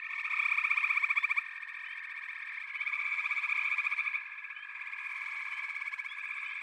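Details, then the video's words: Frog chorus of many overlapping callers giving dense, rapidly pulsed trills in a high, narrow band, with a louder burst of pulses at the start, then a steady droning mass that swells again near four seconds. "FROGS - Pig Frogs, Water Frogs, Backwater Chorus, & Frog Chorus"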